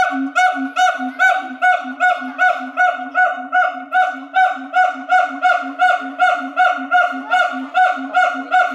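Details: Siamangs at Chiba Zoo in May 2021 sing a loud, rapid series of harsh, honking barks, repeated more than twice a second; three siamangs sing to each other, mostly in the morning.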